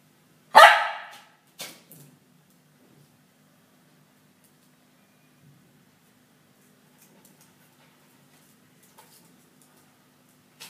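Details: A female Lhasa Apso puppy lets out one sharp, loud bark, then a weaker, shorter bark a second later, followed by near silence with faint clicks and a low hum.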